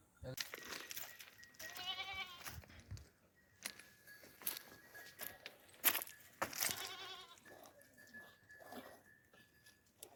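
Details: Goats gathered at noon at the Aapak water spring among herds of sheep, cattle and donkeys wearing neck bells; a single wavering bleat near two seconds amid sharp clattering knocks, faint ringing tones and distant voices.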